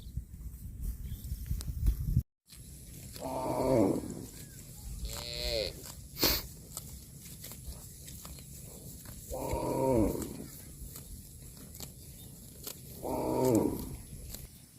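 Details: Cattle eating grass outdoors give three drawn-out, harmonic moos, low and swelling then fading, spaced several seconds apart, with a shorter descending call between them over steady rustling, chewing and field noise.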